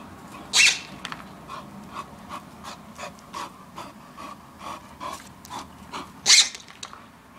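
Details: Valen, a female Bull Terrier, outdoors with her toy, panting in quick regular puffs between two loud, harsh squeak-like bursts, one near the start and one near the end.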